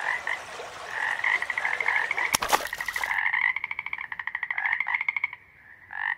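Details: Toad croaking in a steady chorus of buzzy pulsed trills and short croaks that run almost continuously, with a sharp crack near the middle and a brief louder burst at the end.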